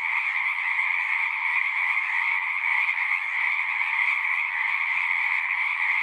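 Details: Frogs in chorus at a pond in a horse pasture: a dense, unbroken wall of trilling calls in two bright bands, one high and one lower, steady and loud throughout, with no other sounds standing out.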